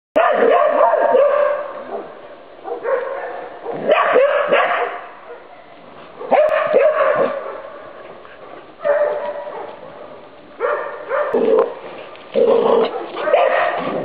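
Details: Irish Terriers Sonny and Jerry during training, giving loud harmonic barks and yelping calls in bursts of one to two seconds, separated by short quieter gaps, over about fourteen seconds.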